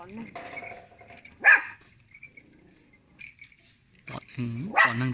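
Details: A little pet dog barks at people: a single sharp bark near the middle, then a louder harmonic bark at the end, with human talking between barks.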